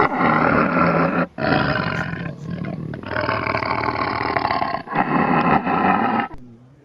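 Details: Tiger attacking in Kanha National Park, roaring in long, rough, broadband bursts of one to two seconds separated by brief gaps, fading out at the end.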